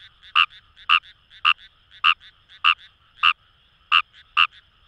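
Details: Indian rice frog (Fejervarya kawamurai) in rice paddies of Itoshima, Fukuoka Prefecture: loud rasping croaks roughly every half second, irregularly spaced, over a soft chorus of more distant callers.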